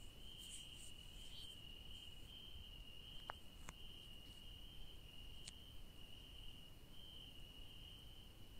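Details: Crickets at night in a garden where yellow daisies grow, giving a steady, unbroken high-pitched trill at constant pitch. A low background hum runs underneath, with a few brief faint clicks.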